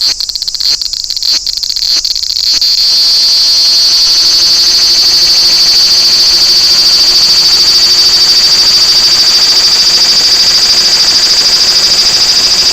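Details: Large brown cicada at Toyanogata Park. A few seconds of stuttering pulsed buzz swell into a loud, continuous, high sizzling drone that holds steady to the end.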